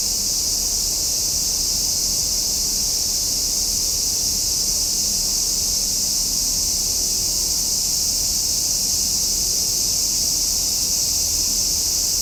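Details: Steady summer cicada song, a shrill, hissing wall of sound that neither rises nor fades, with a faint deep rumble below.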